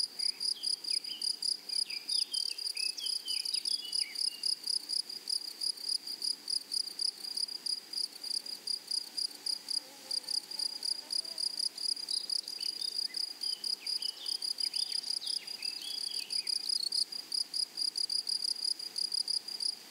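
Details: Grasshoppers in a flowery meadow: a steady, fast-pulsing high-pitched buzz of stridulation runs throughout, with brief faint chirping notes from another creature scattered around the third and thirteenth seconds.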